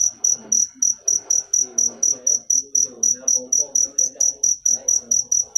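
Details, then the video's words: Cricket chirping steadily, a sharp high pulse repeated about four times per second throughout, with a faint low murmur of voices underneath. "Full suara Jangkrik manis. Suara merdu"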